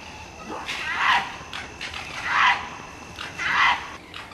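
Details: Mating-season fox calling: three hoarse, barking cries spaced roughly every 1.3 seconds, each a short rising-and-falling yelp over a faint background hiss.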